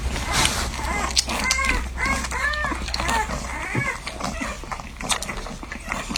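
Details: Newborn French Bulldog puppies while nursing: a few thin, bending squeaks in the first half, over a steady low hum and soft rustling.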